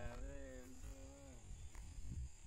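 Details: Hallikar bull, seven months old, giving a steady, even-pitched moo that holds for about a second and a half before fading, followed by shuffling noises and people talking in Kannada nearby.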